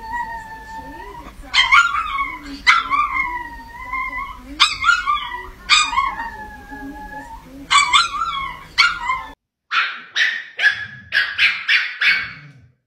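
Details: A little Chihuahua barking at a cat gives high, sharp yapping barks, some drawn into whiny yelps and growl-like barks, in quick bursts.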